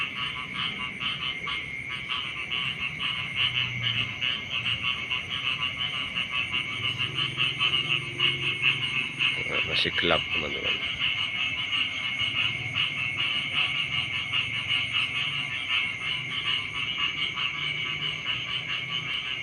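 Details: Beside rice fields in the morning, frogs keep up a steady pulsing chorus over a high insect-like whine; a sharp click cuts through around ten seconds, and a faint low hum sits underneath.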